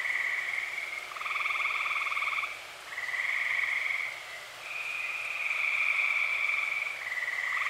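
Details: Tree frogs in chorus on an early-summer night, Eastern Pennsylvania; rattling pulsed trills, each a second or longer, overlap in close succession, some voices deeper, forming a continuous rhythmic buzz.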